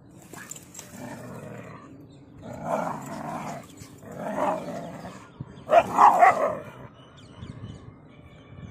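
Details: Rajapalayam dog and German Shepherd in a real fight: three loud bursts of harsh barking and snarling, spaced about one and a half seconds apart, over a low rumbling background.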